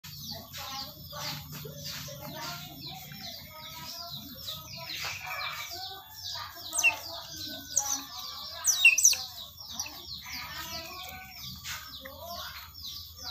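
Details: Otters being fed, giving a dense chorus of high, rapid chirps and squeaks that overlap continuously, with a few sharper squeals near the middle and end.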